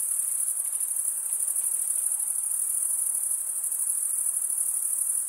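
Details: Many crickets singing at night in a summer forest; an even, shrill high-pitched drone with rapid faint pulsing, uninterrupted, plus soft scattered background hiss.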